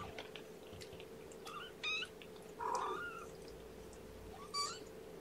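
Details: Kittens just returned indoors from a vet visit, where one had a spot on her side opened and cleaned and got antibiotics; three short, high, bright mews about a second apart rise above a steady low room hum.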